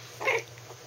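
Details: A 3-week-old Maltese puppy, still wobbly and playing with littermates in a pen, gives a tiny, high-pitched squeaky growl.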